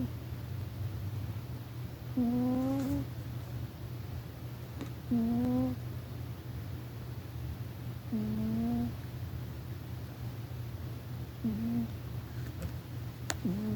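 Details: Sleeping pet cat snoring indoors: five tonal, slightly rising breaths roughly every three seconds, each about half a second to a second long, over a low constant hum.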